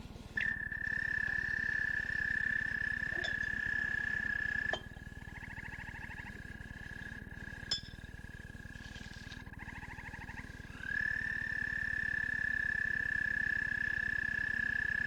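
An American toad's long, steady musical trill, held on one even pitch for many seconds.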